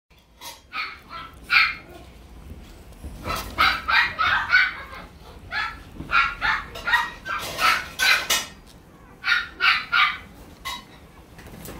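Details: West Highland White Terrier, a puppy offered by a breeder in Japan, giving quick high yapping barks in irregular bursts, about three a second, with short pauses between runs.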